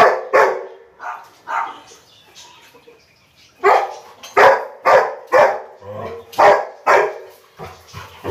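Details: A Rottweiler barking at a duck gives short, loud barks in uneven bursts, about two a second, with a brief pause before a faster run of barking.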